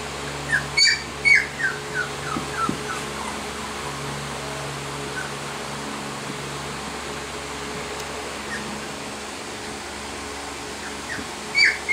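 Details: Female Sheepadoodle puppy, 20 weeks old, gives a burst of high, thin whimpers that slide downward, clustered in the first few seconds, then near quiet before one more short whine at the end; a steady low hum runs throughout.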